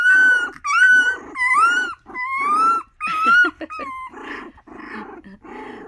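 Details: Miniature Australian Shepherd puppies in a litter of one male and the rest females, heard in the morning, whine and yelp in high, wavering cries, with softer growly grumbles.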